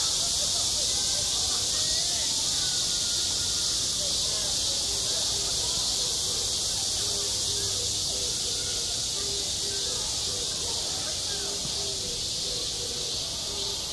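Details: Continuous shrill buzzing of cicadas at a school playground in summer, joined midway by a short low tone repeated in a steady series, with faint voices in the background.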